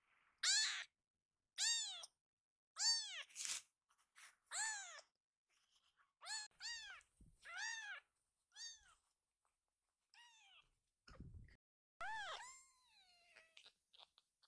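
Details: Rescued baby kittens indoors, happily dashing toward their caretaker and then held in her arms; a rapid series of shrill, arching mews from several kittens, fading and softening toward the end, with faint handling noise.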